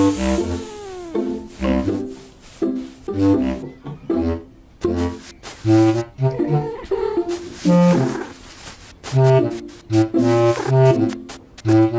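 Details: Lively brass-led music with saxophone lines over punchy low bass notes, with short pauses between phrases and no animal sound.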